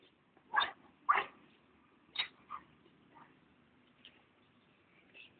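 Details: Basset hound bought from a pet shop, barking at a beer can: a few short, rough barks, two close together near the start, then two more a second later, fading to softer sounds.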